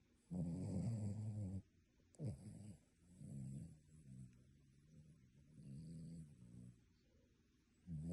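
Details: Sleeping dog snoring like a human: a loud, low rumbling snore over about a second, a short snort, then softer raspy breaths rising and fading at a slow steady pace.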